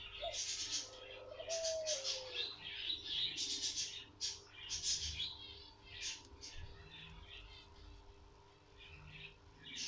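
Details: Guinea pig at birth: rapid, high-pitched squeaks repeated about four times a second in dense bursts, softening toward the end, with a brief lower tonal sound early on and a faint low hum beneath.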